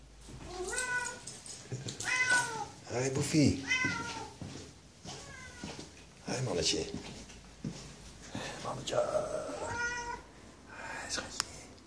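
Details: Pet cat welcoming its owner home, enthusiastic; a run of repeated drawn-out meows, some rising then falling, spaced a second or two apart, while a man talks softly to it in Dutch indoors.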